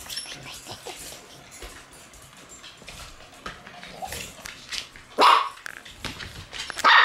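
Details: Puppies in a cluttered puppy room on the night of October 9. Two short, sharp barks come near the end, over a steady background of scuffling and clattering.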